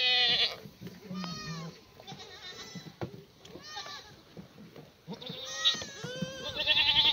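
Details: Free-range black goats bleat at a sunny morning feeding on a farm in Gimhae, South Korea, in May 2019. They are fed cut strawberry plants and leaves, still damp from rain. Several quavering, nasal bleats overlap closely, with some louder calls near the end.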